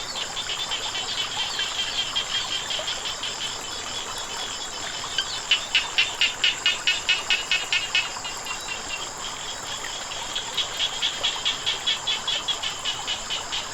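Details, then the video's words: Frogs croaking near flowing water: fast trains of sharp, evenly spaced clicking notes, several per second, in two clear bursts with a short pause between, over a constant high-pitched hum and a gentle background hiss. "เสียงน้ำไหล กบเขียดร้อง"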